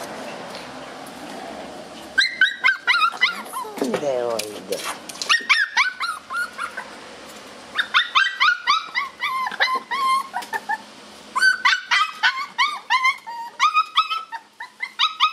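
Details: Shiba Inu puppies playing tug-of-war give a dense run of high, short yips and whimpers with rising and falling inflections, bursts packed together, plus a low growl-like rumble near the fourth second.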